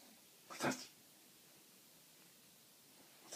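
A French Bulldog snores with a harsh, rattling breath, then a quiet pause before the next one.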